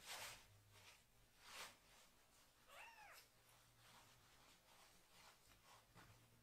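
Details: Indoor bath of a young rescued kitten being washed from the waist down; a single short arched meow sounds in the middle, surrounded by loud hissing bursts of noise.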